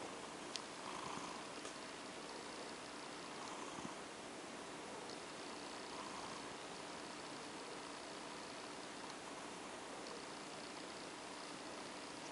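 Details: OCD Cat, a female cat, purrs faintly as she is stroked to sleep, low soft breaths of purring rising and easing in slow cycles under a constant hiss, with an occasional small tap.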